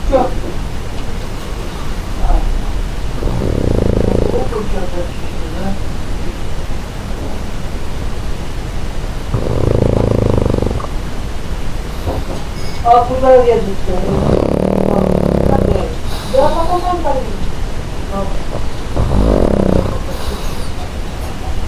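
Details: Pug snoring: low, rough snores in bursts at roughly five-second intervals, with wavering higher tones mixed in midway; a voice speaks faintly at moments.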